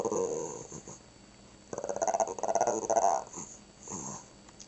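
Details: Indoor pet Shih Tzu growling in a "talking" way, imitating "grandma": a short low rumble, a pause, then a longer pulsing, warbling growl, ending with a softer grumble.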